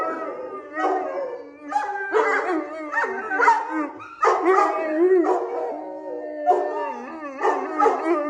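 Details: Female Neapolitan Mastiff weighing 120 lb, making a variety of sounds: drawn-out, wavering howl-like moans and groans in rising and falling tones, several overlapping phrases in a row, like talking.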